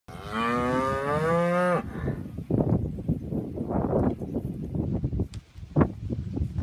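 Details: Polled Hereford cows, a group of seventeen: one long low moo with rich rising-then-steady harmonics lasting under two seconds, followed by shuffling, thumps and general barn or yard noise with no further calls.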